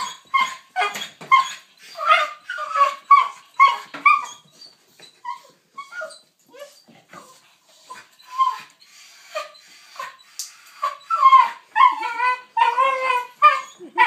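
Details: A 10-year-old dog screaming with excitement on seeing the leash before a walk: rapid, irregular high yelps and squeals, about two per second, with wavering whiny cries and short breaks.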